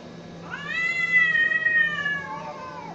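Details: Fighting cat letting out a single drawn-out wail that swells, holds a steady high pitch for over a second, then sags downward and fades.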